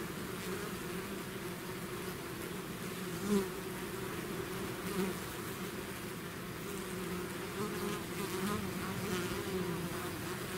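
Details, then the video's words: Swarm of bees outside their hive, a continuous deep droning hum layered with bright wavering tones as single bees pass close, one brief louder buzz near the start, otherwise even and unbroken. "bees therapy swarm natural buzzing sound"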